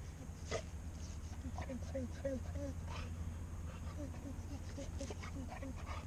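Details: Tiger, a rescued Boxer dog teased by chirping squirrels he struggles to chase, gives a run of short, high, downward-sliding whimpers about twice a second while a person talks to him.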